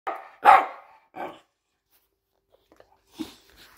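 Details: A seven-month-old Patterdale terrier pup at play gives three sharp, loud barks in quick succession within the first second and a half, followed by near silence and one fainter bark-like sound near the end.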